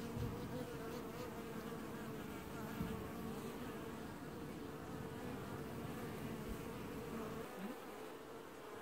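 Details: Honey bees from an apiary colony washboarding in early July 2019 fill the air with a steady, low, droning buzz from many wings, with an occasional low roar that the keeper wonders may be bees heating or cooling the hive.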